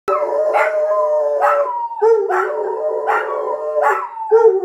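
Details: A Jack Russell Terrier and a Kelpie howl together to bring in the New Year 2023, in long, wavering, overlapping tones that rise and fall.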